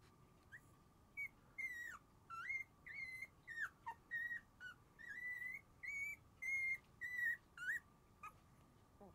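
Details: Sleepy Shiba Inu puppies, three siblings (two males, one female) born January 7, let out a long run of high, whistle-like whimpers. Each is a short tonal cry, often with a rising or falling bend, coming about every half second over a steady background hum.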